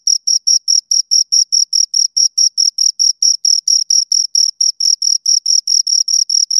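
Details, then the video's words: Pair of crickets with steady, evenly spaced high-pitched chirps, about four to five per second, each a short scraping pulse, clean background without other noise. "Two Crickets Chirp Sounds"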